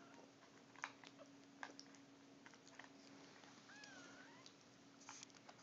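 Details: Three-week-old Siamese mix kittens, babies of a cat named Mia, indoors: a faint, thin, wavering mew rises and falls near the middle, with soft rustling and scattered clicks around it.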